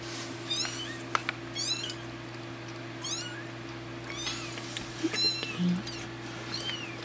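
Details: Two-week-old kittens playing indoors, giving thin, high-pitched mews with upward-bending then falling tones, several in quick bursts across seven seconds over a steady low electrical hum.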